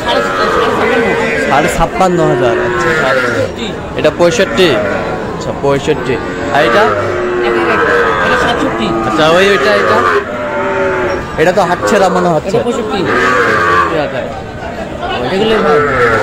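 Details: Lowing from Sahiwal bull calves offered for sale in Kushtia on Friday 9 June: several overlapping moos, some rising and falling, mixed with steady human chatter and crowd noise.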